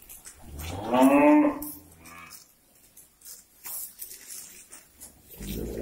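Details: A cow on a breeding farm, just turned out to graze in the morning and happy with the grass, gives one short rich moo around one second, followed by quieter bumps and rustling.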